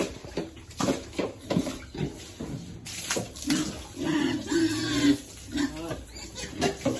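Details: Piglets content in cool water give soft, tonal grunts, a few held longer in the middle, over splashing water and faint talk.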